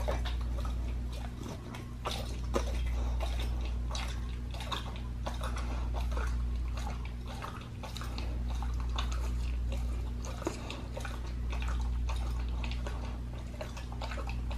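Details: A pit bull working through a raw leg of lamb, crunching steadily with sharp snapping bites and softer wet chewing in between, under a continuous low hum.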